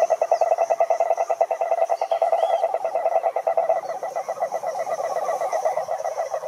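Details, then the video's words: Wild cane toads (cururu, Rhinella marina) in chorus at a lake in Brazil's Atlantic forest: a steady, fast, low pulsed trill, loud at first and then slightly softer, with faint higher tones above. "CANTORIA DE SAPOS CURURU"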